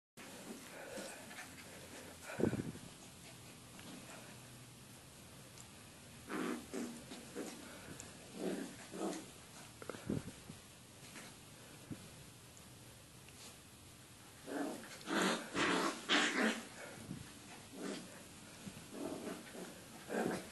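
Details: Two Miniature Schnauzers, Sekani (8 months) and Grace (9 weeks), make short, rough growls and snorts in uneven bursts while playing together.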